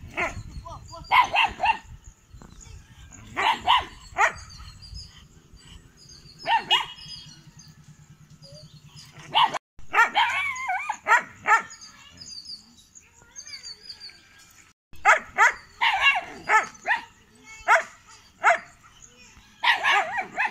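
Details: Kanni and Chippiparai puppies aged 81 days, kept at a dog sanctuary in Thiruvarur, recorded 2 August 2021 while guarding; repeated sharp barks and yips in irregular bursts separated by quieter stretches.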